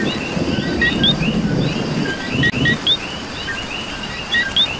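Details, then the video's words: Rain-soaked Puerto Rico with coqui frogs: sharp paired calls rising from a low note to a higher chirp, several in under five seconds, layered on a continuous chorus, with low rain noise underneath. "Coqui and Rain"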